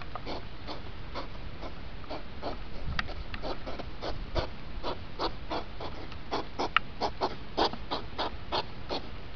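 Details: Hedgehogs during the rut, two hours of activity sped up into five minutes: a rapid, fairly steady series of short puffing, snuffling pulses, about two to three per second, over a low background rumble.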